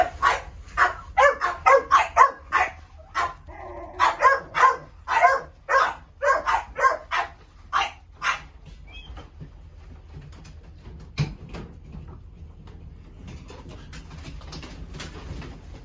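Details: Pet shop dog yapping rapidly, short high barks in quick runs with brief pauses for about nine seconds before going silent, leaving a low background hum.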